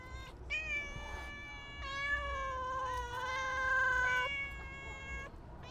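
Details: Stray cats being fed: a series of loud, sustained meows, several overlapping, each a bright harmonic tone that wavers slightly and lasts one to two seconds, over low background rumble.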